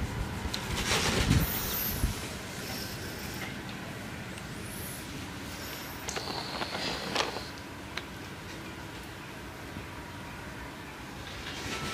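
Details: Continuous vehicle-like rumble and hiss broken by sharp clicks, knocks and short bursts of higher noise, with no animal calls present.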